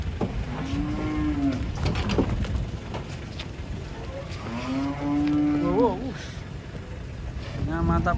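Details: Agitated cattle being unloaded from a truck, described as angry, give several loud, strained moos, two of them long and wavering, over engine noise, clattering and a constant high whine.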